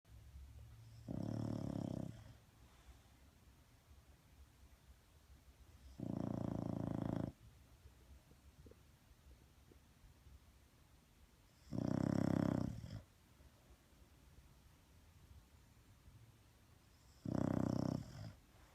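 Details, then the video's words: Sleeping bulldog snoring: four loud, rough, low snores, each about a second long, spaced roughly five seconds apart, with quiet breathing between. "Snoring bulldog"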